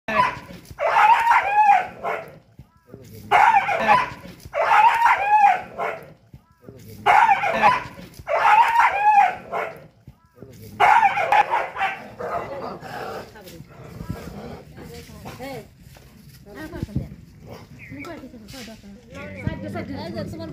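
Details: Village dogs in a three-way fight bark in harsh, tonal bursts roughly every two seconds.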